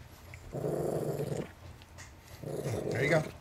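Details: Family dog, a Chihuahua–Miniature Pinscher mix possessive over his peanuts, gives two separate rumbling growls about a second long each, split by quiet, with faint background noise.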